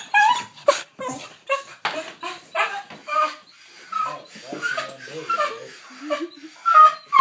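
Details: Pet dog aged ten, thrilled by the leash before going out, lets loose high yelping squeals and short whines in quick irregular bursts, with a human voice speaking over part of the commotion.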